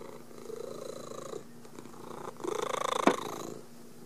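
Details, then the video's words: Kelly, a pet cat also called Pretzel, purring to greet her owner coming home from work: a steady rapid rumbling purr that swells louder midway, with a brief sharp bright sound near the end. "Purring For Me After Coming Home From work."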